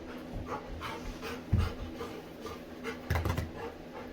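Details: A female Labrador Retriever, active and playful with her owner, pants steadily and lets out a couple of low, huffing grunts.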